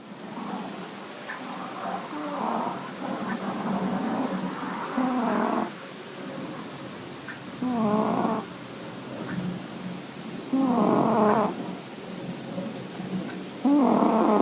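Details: Sleeping cats snoring: rough, buzzy breaths with a nasal tone swell into bursts about a second long, recurring every two to three seconds, with quieter breathing in between.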